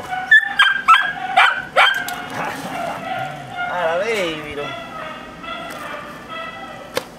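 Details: Hercules, a dog in K9 training, lets out four sharp barks in quick succession over the first two seconds, then drops into a lower wavering whine, with a person talking in the background.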